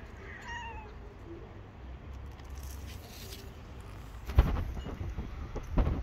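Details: Long-haired tabby kitten, a stray living on the street, gives one short meow with bright stacked harmonics near the start, then falls quiet over a steady low rumble of traffic and a few sharp knocks.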